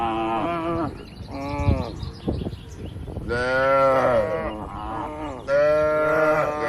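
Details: Tame cattle, dozens kept together in a farm pen, calling: a short low moo, then two long drawn-out moos with rich harmonics, overlapping softer lowing and rustling between calls.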